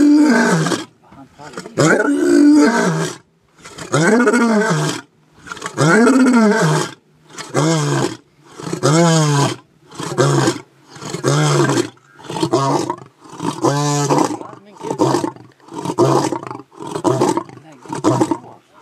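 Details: Lion roaring in a long series: deep, drawn-out moaning roars that shorten into quicker grunting bursts, about thirteen in all, with brief pauses between them.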